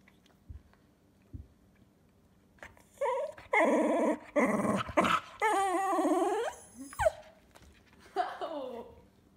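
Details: Pet Cocker Spaniel indoors, 'talking' while its owner refuses it something: a run of drawn-out, harmonic whining howls and moans rising and bending in pitch, each about half a second to a second long, after a few soft thumps.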